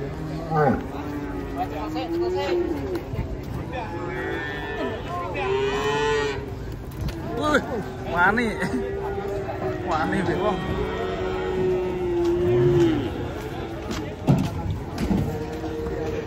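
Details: Banteng cattle coming down off a truck give long, low, steady moos, some swelling and bending upward, over nearly continuous human chatter with a sharp knock near the end.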